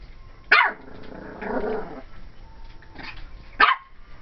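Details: Cream and white female Pomeranian puppy, 12 weeks old, playing indoors and reacting to a doll in a closet: two sharp high barks about three seconds apart, with a low grumbling growl between them.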